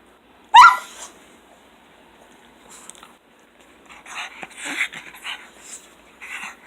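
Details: A pair of pet pugs welcome their owner back from work indoors; one sharp high squeal opens, then quieter snorting, huffing grunts and breathy vocal noises follow.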